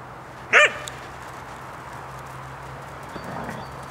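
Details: Siberian Husky in winter 2014 in Finland: one short, sharp bark early on, followed by a quiet stretch with a steady low hum and faint rustling.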